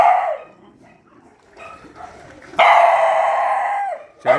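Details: Night feeding among shelter puppies who are fighting: a brief yelp opens, then a long harmonic squealing whine lasting over a second, then a final sharp yip.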